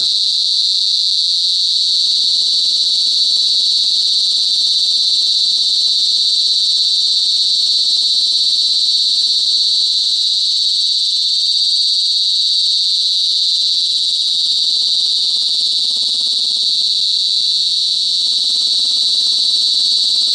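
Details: A cicada (kuliglig/duli duli) in the Bicol province, Philippines, sings a steady, piercing, high buzz that holds unbroken from start to finish.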